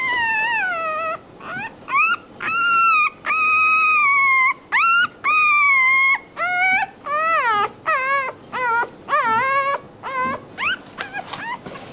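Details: Puppy crying and whimpering, a sound said to draw other dogs' attention: high tonal whines with rich harmonics, rising then falling, in bursts of about a second, repeated almost twice per second with short gaps, some sliding upward sharply.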